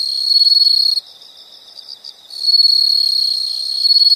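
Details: Nature sound of insects: loud steady high trill with a piercing whistled tone, dropping out for about a second to leave quieter pulsed chirps, then returning at full strength.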